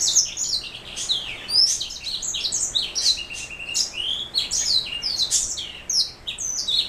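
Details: A canary-hybrid black throat mule sings steadily with rapid high chirps, sliding whistles and rolling trilled phrases in a dense, cheerful stream with only brief breaks.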